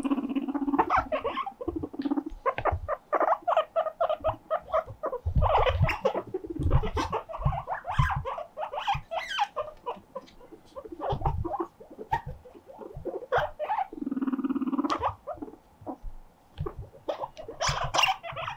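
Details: Pet guinea pig Mokohei gives a siren-like cry to show loneliness, drawing companion Moruhei over as both leap about happily; rapid trains of short squeaky calls run throughout, broken by low rumbling purr-like bursts near two and fourteen seconds.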